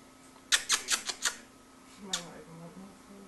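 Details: Baby marmoset named Barce, indoors while drinking milk: five sharp, high squeaky chirps in quick succession over under a second, then a single chirp after a pause, with a man's low voice murmuring.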